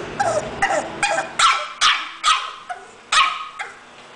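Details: English Bulldog barking in a quick series, about eight sharp, hoarse barks spaced roughly half a second apart.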